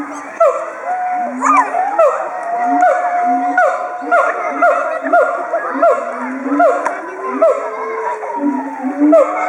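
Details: A captive pair of siamangs calling aloud at Chiba Zoological Park, Japan, in October 2013, excited and threatening rivals. Short deep booms pulse beneath repeated swooping, wailing hoots, and visiting children chatter and shout in the background.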